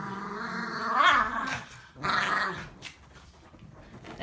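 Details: Dogs growling, two rising-and-falling moaning growls in quick succession, then quieter rustling as a woman begins speaking.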